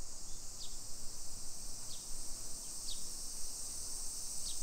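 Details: Summer cicada chorus in a modern hillside neighborhood near Nagoya, Japan, 1 PM, 28 July 2021: an even, high shrill buzz runs throughout, with four brief falling bird chirps spaced about a second apart and faint low traffic hum.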